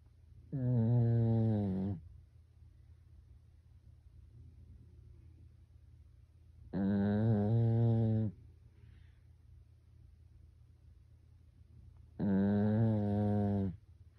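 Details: Family Pekingese dog sleeping and snoring like a person: three evenly loud, deep, buzzing snores of about one and a half seconds each, coming roughly every six seconds, with faint quiet indoor background between them.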